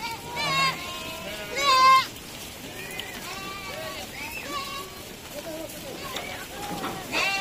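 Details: Sheep coming down from the high pastures to the lowlands, giving wavering, nasal bleats. Two loud calls stand out near the start, followed by quieter overlapping bleats from the flock, with people talking in the background.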